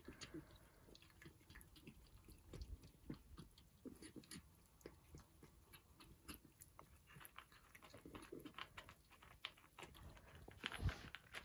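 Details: Several Persian cats at their breakfast, chewing steadily with crisp crunchy clicks and soft smacks scattered irregularly, a louder crunch burst near the end.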